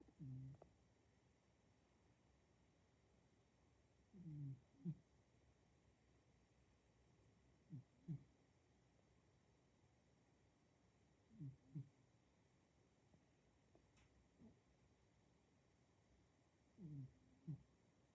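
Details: A male domestic cat snoring indoors: five low, soft, rumbling snores, each a quick double puff, spaced roughly three to five seconds apart over a quiet room background.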